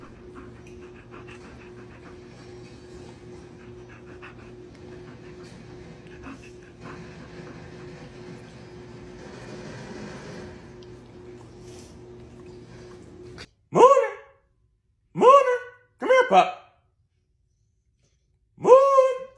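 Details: Siberian Husky named Moon, a pet dog playing with his owner indoors; after a long stretch of low background hum, four short, abrupt whining yelps come in a loose sequence, each a brief harmonic cry.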